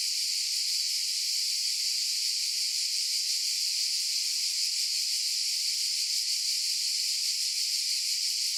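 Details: Cicada drone: a bright, sizzling, high buzz running without pause at an even level.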